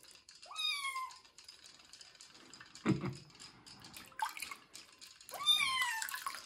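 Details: Kitten Joe, a young cat, meowing during his first bath before moving to a new home; two rising-falling harmonic meows, one early and one near the end, with splashing water and handling noises between.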